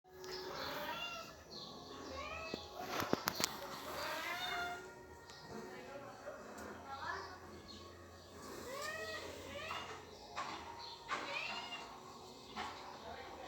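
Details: Mother cat named Sisah talking with her kittens: many short, arching meows and high chirrups overlap and tumble quickly one after another, some rising, some falling, with a few sharp clicks and knocks indoors.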